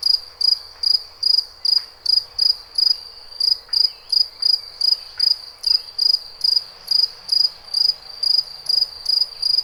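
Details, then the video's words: A cricket chirping in shrill, high-pitched pulses, roughly two to three per second, in a steady and even rhythm. A faint background hiss runs underneath. "Cricket 2"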